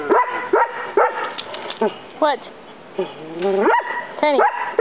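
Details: Tennyson, a Collie, barks at a roommate while other dogs ignore him; short, sharp, pitch-bending barks repeat roughly every half second with brief quiet gaps.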